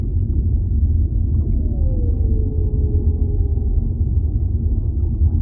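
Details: Underwater whale voice: one smooth moan that starts higher, bends downward and settles into a level, drawn-out tone lasting about two seconds, with a continuous low, rumbling ocean background.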